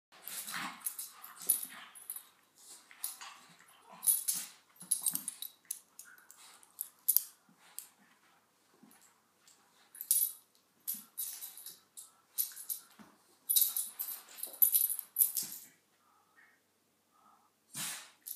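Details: A black Miniature Schnauzer playing with a sheep toy gives short, breathy play-growls and huffs in quick, uneven bursts.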